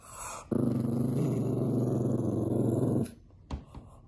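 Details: Bowser the pug growling at puppies playing on the television: one sustained, deep, throaty rumble lasting about two and a half seconds, followed by a couple of faint short sounds.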